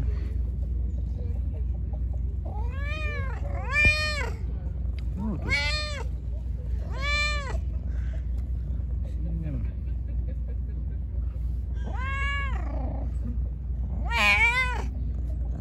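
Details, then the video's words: Hungry pregnant street cat, angry after being fed: a run of about seven shorter, arching meows spread across the stretch, some clipped and wavering, over steady low traffic-like rumble. "Angry poor hungry Pregnant Cat. I gave him food. Attacked me"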